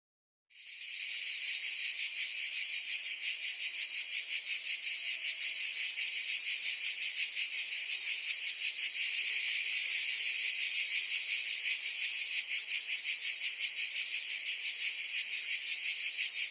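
A cricket gives a steady, high, shimmering trill of rapid pulses that runs without pause.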